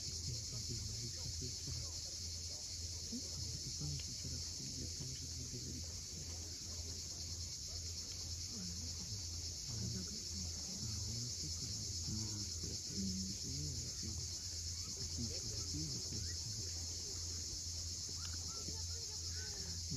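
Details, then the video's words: Cicadas at sunset at Cape Fiolent, Crimea, keep up a steady shrill buzz over the whole stretch, while low humming tones and a murmuring rumble run underneath. "Cicadas at sunset."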